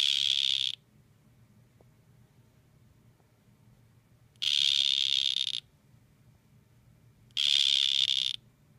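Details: Male dart frogs in a face-off, with three bright, insect-like buzzes roughly a second long, the middle one slightly longer, separated by silent gaps of several seconds in a calm room.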